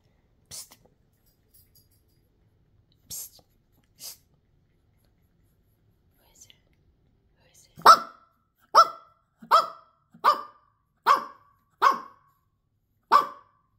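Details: Pekingese dog indoors in a small room barking: after a few faint soft sounds, a series of seven sharp, clear barks arrives about once a second, with a person whispering and talking between them.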